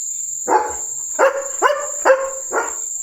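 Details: A German Shepherd gives five short, throaty barks at night, alerting to the crickets buzzing steadily behind.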